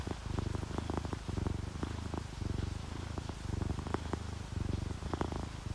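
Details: Sleeping orange tabby and calico cats purring while relaxed: a deep throbbing purr in rhythmic bursts, each inhale-exhale cycle lasting about a second, with faint soft clicks above.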